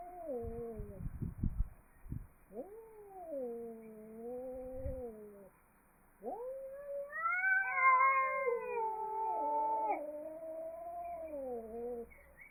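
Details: Angry cat caterwauling in long moaning yowls, each rising then slowly falling, with a later louder overlapping wail climbing higher; some thumping and rustling noises early on.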